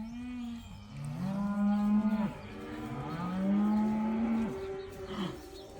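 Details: Herd of about eighty cows enjoying their first time outdoors, lowing in overlapping calls: long, steady moos that swell and then cut off, two or three in a row from different animals.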